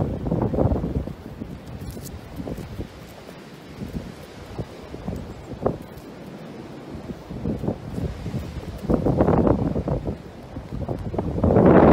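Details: Heavy wind buffets the microphone in rumbling gusts, with rustling in between and a louder surge at the end; no animal voice stands out.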